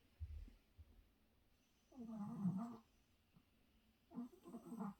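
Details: Small dog asleep and snoring, with two low, rasping breaths about two seconds apart over faint room hiss.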